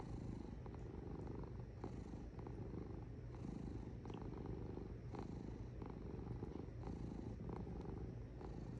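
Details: Purring cat, its low rumble pulsing with breathing roughly every one and a half seconds, with a few soft ticks in between.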